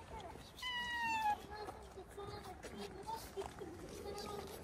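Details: A stray calico cat gives a drawn-out, slightly falling meow lasting about a second, followed by a person talking to her outdoors with light background noise.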